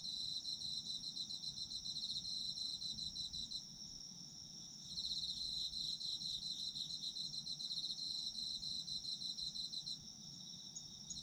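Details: Autumn insects in a dense chorus: rapid pulsed chirping in bursts with a short lull, set over a continuous high trill, about three to four pulses a second, faint low background rumble.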